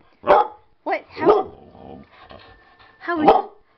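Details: A sassy Shepherd/Husky mix dog talking back indoors in a shouting contest with its owners: a short run of yowling, groaning vocal bursts with breaks between them, while a person chats to the dog.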